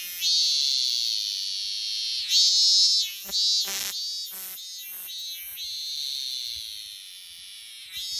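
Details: A lone cicada on a tree in Japan in summer sings a steady, high, shrill buzz that stutters briefly midway before droning on.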